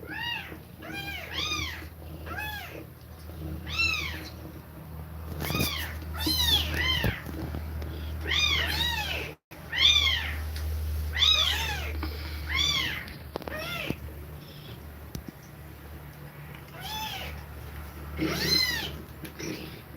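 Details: Mother cat feeding milk to her kittens and breathing fast; high arched mews repeat roughly every second or two in loose runs, some overlapping, over a steady low hum and soft shuffling.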